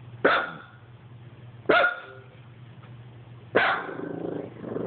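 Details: Dog barking at an Xbox: three sharp barks at irregular gaps of about one and a half to two seconds, with a softer rumbling tail after the last, over a low steady hum.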